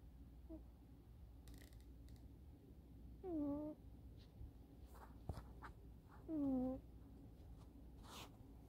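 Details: Snoring kitten Eddy, conked out indoors on a sofa, his chin resting on his forearm against the sofa back. Two brief whistled snores drop in pitch, about three seconds apart, amid soft rustles and small taps.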